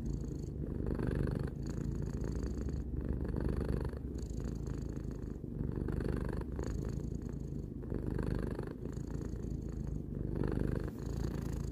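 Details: Three-year-old house cat Tarou purrs without pause: a deep, even vibration pulsing with its breathing about every one to one and a half seconds in a quiet room.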